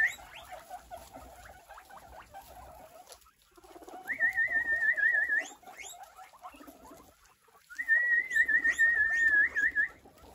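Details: A large guinea pig herd, being called, answers with loud, wavering wheeks, rising whistles repeated in quick bursts.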